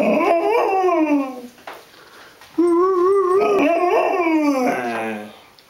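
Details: Rhodesian Ridgeback dog "talking": drawn-out, wavering howl-like whines that slide up and down with rich overtones. Two long vocal bursts are separated by a quiet gap of about a second, and the second burst ends in a falling moan.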